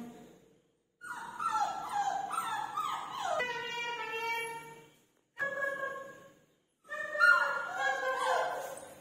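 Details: Several Labrador Retriever puppies crying out for food, overlapping high whines and yelps in three bursts separated by short silences, the last burst loudest.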